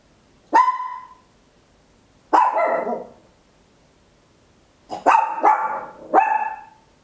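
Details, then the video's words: Loud barking from a small Papillon dog recorded at home in stereo with an Olympus LS-11: two separate ringing barks, then a rapid burst of three in a row, over a quiet indoor background. "Tiny Dog Barking Very Loud, Papillon"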